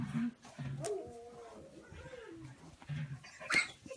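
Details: Playing puppies mixing short low growls with a drawn-out whining whimper that slides and wavers, followed by more brief growls and a sharp scuffle noise near the end.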